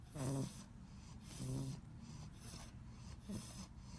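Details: An English Bulldog puppy fighting to stay awake snores in low, rumbling snorts at uneven intervals.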